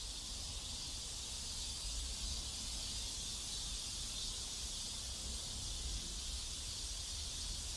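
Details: A dense chorus of cicadas in a South Korean neighborhood makes a steady, hissing high-pitched drone without clear pulses, continuous throughout, over soft low background rumble.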